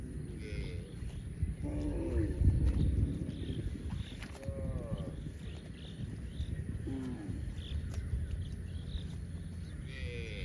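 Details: Baby cow uttering short, repeated moos every couple of seconds, some rising and bending, over heavy low-frequency background noise and occasional knocking sounds.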